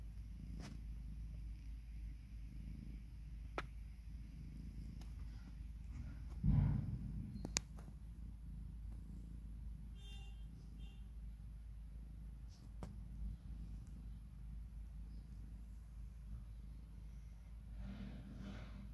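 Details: British Shorthair mother cat resting with her two 9-day-old kittens, born on Easter Day 2019; a steady, deep rumbling purr runs throughout, broken by a brief rustling thump midway and a few faint clicks.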